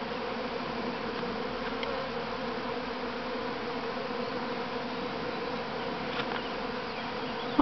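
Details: A first swarm of honey bees leaving the mother hive at Grass Lake Sanctuary, Manchester, Michigan, on May 13, 2012, fills the air with a dense, steady, low humming drone.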